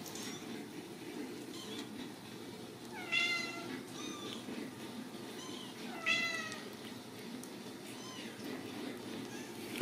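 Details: Ragdoll kittens raised indoors without cages at a cattery in central Kansas, giving a few high, thin, rising-and-falling meows spaced several seconds apart over a quiet room hum.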